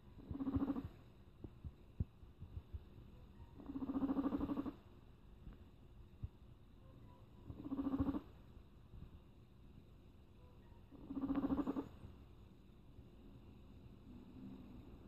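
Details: Rat growling over faint tokusatsu background music, giving four separate harsh, throaty growls each lasting about a second, spaced roughly three to four seconds apart, with low rumbling between them.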